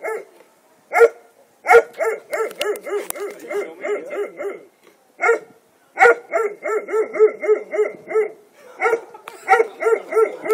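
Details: House dog showing teeth on request, producing repeated harsh bursts: a sharp bark opening each bout, then quick chattering pulses, about five bouts with brief silences between.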